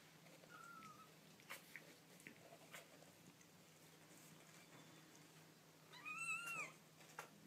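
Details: Baby kittens making cute noises: mostly quiet indoors with soft clicks and rustles, a faint brief mew early on, then one clear, high, arching mew near the end.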